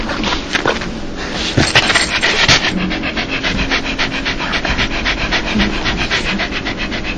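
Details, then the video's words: Dog "laughing" when happy or joyful: quick breathy panting, about three to four airy huffs per second, steady and close, with a low hum underneath. "강아지웃음소리 강아지 행복할때나오는소리"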